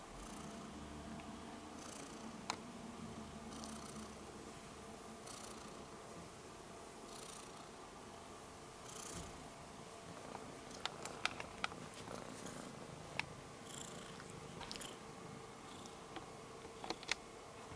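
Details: Rudolph the Red-Nosed Kitten, a domestic cat, keeps up a low breathy purr, pulsing with each breath, while scattered clicks and small taps sound in the second half.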